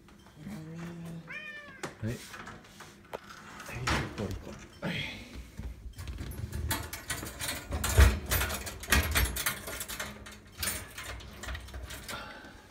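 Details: Domestic cat at bedtime indoors while a person tells the cats to sleep and says good night in Japanese; two rising, harmonic meows open the clip, followed by rustling, thumps and soft speech.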